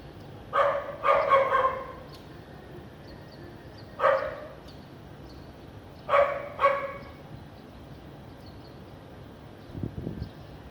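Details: Barking house dog in a clean area of Vientiane, Laos, on a sunny afternoon in April 2021; a quick burst of three barks, then single and paired barks spaced by quiet gaps, with a faint low thud near the end.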